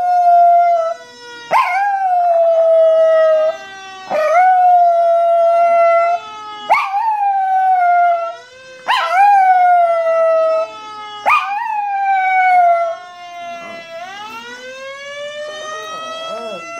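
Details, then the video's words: Female Chihuahua howling in response to a fire truck siren, trying to imitate it: tonal, harmonic-rich howls, each opening with a sharp yelp and then holding steady, repeated about every two to three seconds; a rising siren tone enters near the end. "Chihuahua reacting to fire truck siren"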